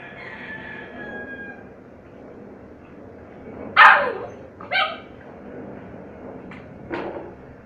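A hungry Chow Chow puppy gives a thin whine, then a few sharp, high yelps.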